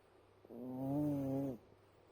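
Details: A sleeping pet cat gives one drawn-out, steady, humming snore lasting about a second, even in pitch, over a faint background hum.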